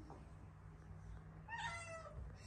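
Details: Domestic cat giving a single meow, a sound said to attract other cats; it arrives late, a drawn-out harmonic cry sliding downward over about half a second above a low, steady background hum.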